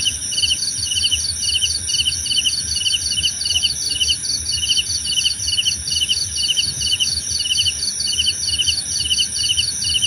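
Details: Relaxing cricket chorus: rapid, regular trains of high pulsed chirps stacked at two pitches, with a continuous shrill insect hum behind and soft low background noise.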